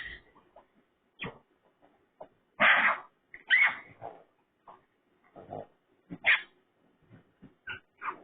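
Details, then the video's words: Raccoon making pig-like sounds: scattered harsh squeals and short grunts in irregular bursts separated by quiet gaps, some louder raspy squeals near the middle and end. "Raccoon Skinwalker making Pig Sounds"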